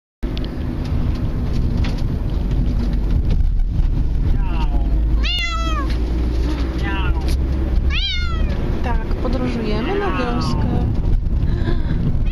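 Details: A Bengal cat riding in a car cries in several drawn-out, wavering meows over a steady low engine rumble, crying like this the whole way.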